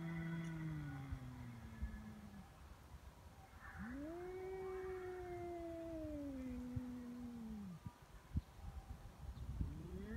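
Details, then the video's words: Feral cats in a standoff on Cat Day, February 22: deep, sustained moaning yowls that rise, hold and slowly fall, one after another, quiet against steady background noise with a few clicks. "猫の日ガチ喧嘩「威嚇で相手が引かない噛みつきや猫パンチに発展」野良猫 Cat Fight"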